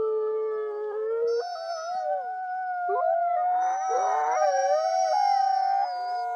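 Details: Wolves in a looped recording, howling together: one voice rising steadily, others sustained above it, a rough burst of yips and quavering cries midway, then long even notes resuming.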